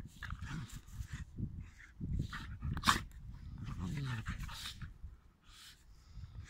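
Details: Dogs at play fighting, with low rumbling growls, a brief whiny rising yelp midway, and sharp bursts of scuffling.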